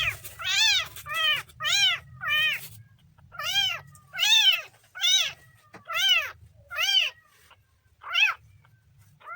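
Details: Kitten repeating loud, high, arched meows at a steady pace of roughly one every second, each clear and harmonic-rich, in a quiet room.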